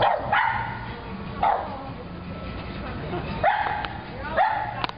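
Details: Pug barking, afraid of a pig piñata: four sharp yelping barks spaced about a second apart, each with a rising onset, over steady background chatter and low hum.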